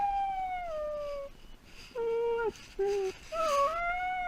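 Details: Home dog whining after its owner leaves: a falling mournful note, then a series of shorter, flat whimpering tones, each clipped off, with faint household noise between.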